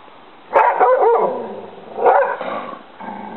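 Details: An English Springer Spaniel barking at a duck gives two sharp, harsh, mid-pitched barks about a second and a half apart, each with a brief tail, followed by a softer, lower sound.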